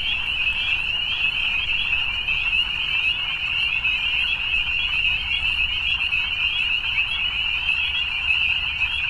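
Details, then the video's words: Frogs calling in the evening as a thick, continuous chorus of high, shimmering trills, countless voices blending without pause and barely any low sound beneath. "Evening Frogs"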